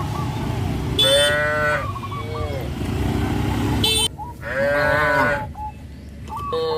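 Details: Cattle heading to green grass pastures, with two long, rich moos rising and falling, mixed with brief chirps, a faint engine-like hum, and a sudden quiet gap between calls.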